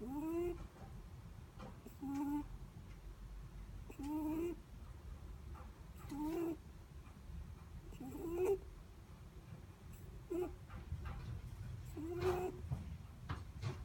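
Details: Netherland Dwarf rabbit asleep, snoring with short whistling squeaks on each breath, repeated about every two seconds, some rising sharply at the end, over faint low background noise.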